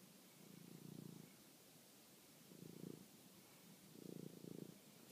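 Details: Pet cat Toby at night, having chased and killed a mouse, purring in low rumbling bursts, three pulsed rounds each about a second long with quiet pauses between.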